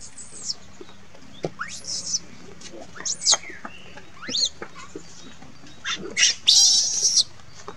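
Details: Distressed monkey crying for its mother, giving rapid uneven shrieks and high squeaky chirps, several sharp upward-sweeping wails, ending in a longer harsh rasping scream.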